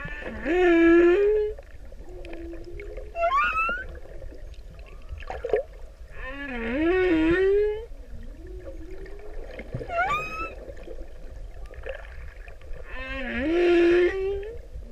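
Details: Pacific humpback whale, a male singing to a female: long harmonic moans that swoop upward, alternating with high rising whistled sweeps and steady tonal notes, phrases recurring about every three to six seconds amid faint underwater hiss.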